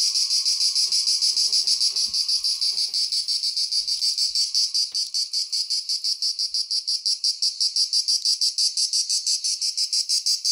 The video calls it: cicada / τζιτζίκι / τέττιξ